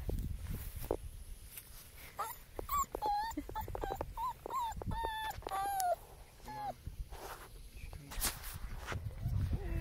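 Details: German Shepherd puppies play-wrestling, bursts of high yips and whiny whimpers, several sliding downward, clustered in the middle and separated by scuffles, clicks and low handling noise.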